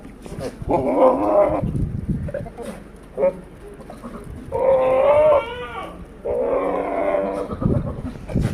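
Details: A big male Sirohi goat on a goat farm in Pushkar, Rajasthan, gives three loud, wavering bleats, each lasting about a second.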